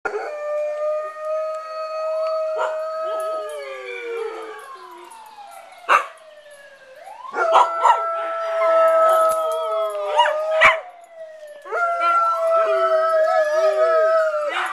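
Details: Pack of pet dogs howling along with a passing fire engine siren: long sustained wavering howls in layered pitches, the siren's sweeping rising-falling wail underneath, punctuated by a few sharp yaps near the middle and a renewed chorus at the end.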